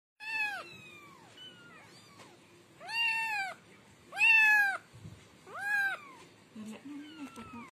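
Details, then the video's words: Kitten meowing in a series of high, arched, harmonic-rich cries, about five clear meows over eight seconds, some short and some drawn out, with faint low rustling and a soft murmur near the end. "Anak kucing||kitten"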